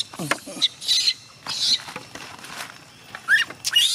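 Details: Crying young chimpanzee Gina, refusing to let her carer go home: piercing high squeals in short bursts, one thin whimper early on, with soft gaps between outbursts.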